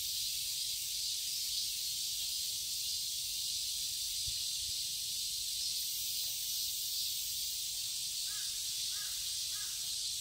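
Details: Garden cicadas in Seoul, Korea during summer, producing a continuous high, hissing buzz without pause; faint distant caws appear near the end.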